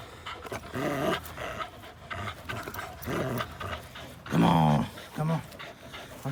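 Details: Playful tussle between two dogs, Linus the APBT and Buddy the blue Belgian Malinois cross, recorded April 1, 2019; low growls build to a loud, harsh snarling burst past the midpoint, followed by a shorter growl, over scuffling noise.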